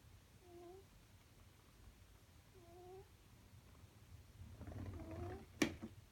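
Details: A domestic cat snores while sleeping comfortably indoors. Two soft, whistled, slightly rising tones are each about half a second long and come about two seconds apart. Rustling and a sharp click follow near the end.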